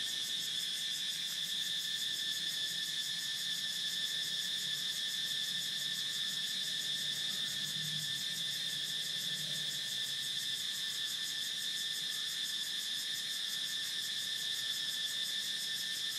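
A cicada sings a steady, high-pitched buzzing drone that carries on without a break.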